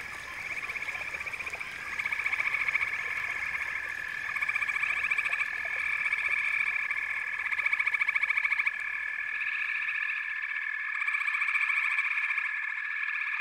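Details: A thick frog chorus of layered, pulsing trills forms a continuous droning wall of sound. It swells in loudness several times, with many overlapping callers and no clear pauses.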